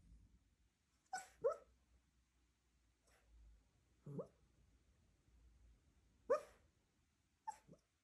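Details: A sleeping, dreaming Cairn Terrier puppy gives soft, scattered yips and whimpers; Cairn Terrier.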